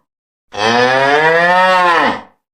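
A single long, low cow moo of nearly two seconds, rich and steady before sagging slightly at the end, with nothing else heard.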